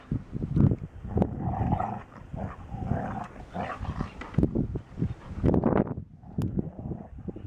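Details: A soggy beagle and a dry English Springer Spaniel tussle, producing low grumbling growls, short huffs and a few higher whining yelps amid thumps and rustling.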